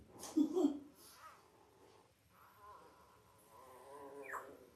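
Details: Five-day-old Labrador Retriever puppies from Belle's litter of eight (five males, three females), born October 15, 2023, indoors: a short burst of thin squealing whimpers, then a quiet stretch and one sharp rising squeak, with faint voices in the background.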